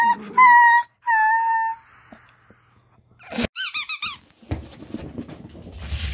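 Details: Dachshunds being noisy during rough and tumble play indoors: two long, clear high squeals, then a fast burst of wavering yips, followed by scuffling and rustling.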